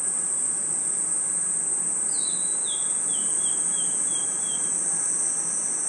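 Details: Crickets and insects chirping in a forest at night form a constant high, even drone; midway a bird gives a falling run of about seven whistled notes.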